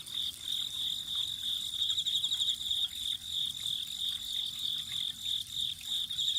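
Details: Autumn insect chorus by a spring: an unbroken high, ringing trill made of quick pulses, with fainter higher chirps layered above and a gentle watery hiss underneath.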